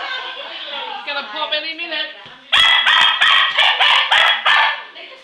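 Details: English Cocker Spaniel named Hurley, a pet at home, chasing Christmas balloons; after a softer whining start, a run of sharp, high, excited barks follows in quick succession, about eight in a row.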